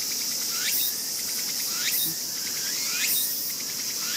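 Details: Raccoon dog pup, one of a sibling litter born this year, crying while a brother bites its tail, August 2012; brief upward-sweeping yelps about every 1.2 seconds against constant high insect buzzing.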